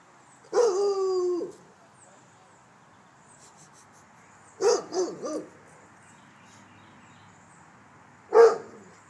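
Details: Rottweiler guard dog in a backyard during a home protection alarm test, giving three loud barks spaced several seconds apart, the first drawn out and harmonic-rich, the later ones shorter and sharper, with quiet background between.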